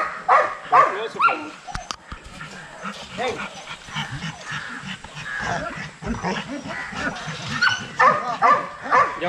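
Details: Several young Rottweilers in a kennel exercise yard, giving rapid, overlapping barks and yips amid busy noise, with a few higher sharp yelps standing out at the start and end.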